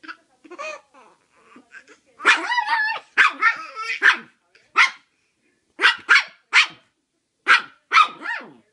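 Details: A Chihuahua on a bed indoors at Christmas gives sharp, high-pitched yapping barks in quick pairs while a baby boy in a Santa hat squeals and laughs.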